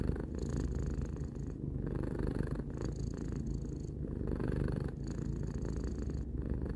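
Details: Three-year-old house cat purring in a calm indoor setting, a deep buzzing rumble that swells and eases with its breathing, brief pauses between breaths.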